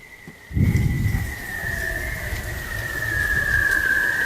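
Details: Bearded seal recorded in the Arctic beneath the pack ice; one long drawn-out whistled tone sliding slowly downward across the whole stretch, opening with a brief low thump and rumble.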